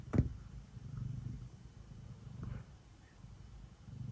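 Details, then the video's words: Cat purring softly while kneading before bedtime. A faint, low, continuous rumble with gentle swells, opening with a sharp click and a faint rustle midway. "Cat kneading and purring before bedtime"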